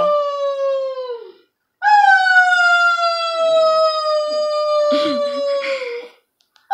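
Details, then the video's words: Dog at home, encouraged by its owner to howl: two long, drawn-out howls, the second lasting over four seconds, steady and slowly falling in pitch with clear overtones, with faint noises near the end. "My mom trying to make my dog howl"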